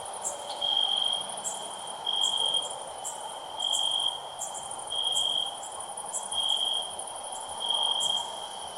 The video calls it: Cricket Chirping Sounds